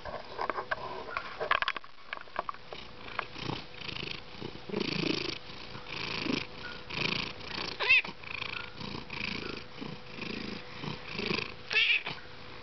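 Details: Garçon, a house cat fond of purring and expressing himself, purrs audibly. A rhythmic rumbling swells and fades with each breath, roughly once a second. A brief squeaky chirp rises near the middle.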